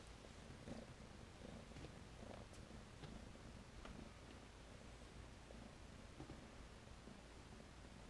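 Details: Purring of Tennessee Rex kittens, a litter born April 2015 with satin, rexed long coats: a quiet, continuous low drone pulsing in regular beats, with occasional light taps and rustling.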